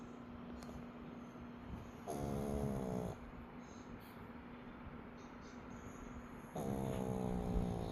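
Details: Bokdol, a 12-year-old Shih Tzu, snoring: two long, buzzy, rattling snores about four seconds apart, each lasting around a second, with soft steady breathing in between.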